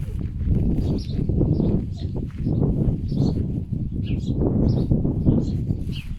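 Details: Two pet foxes, rescued from a fur farm, grunt in a steady run of low, rough, pig-like snorts with a few faint higher chirps. They are unsure what to do with a bird killed by strong winds.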